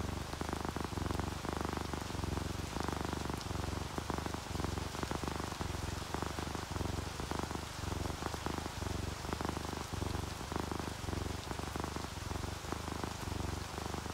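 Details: Contented purring from a resting pet cat, tabby and calico shown together on a rainy day; steady low throbbing rhythm pulsing continuously throughout, rain pattering quietly underneath.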